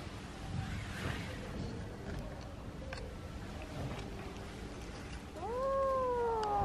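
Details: A kitten meowing when it wants to tell or ask for something: after several seconds of quiet room noise, one loud, drawn-out, slightly rising-then-falling meow ends the recording.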